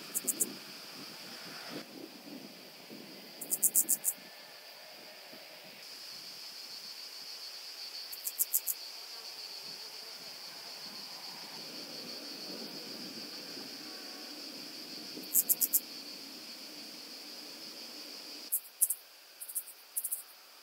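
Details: Common pincer grasshopper recorded on the Croatian island of Pag, 2 September 2019, producing groups of rapid high-pitched scratchy pulses every few seconds, separated by quiet stretches of hiss.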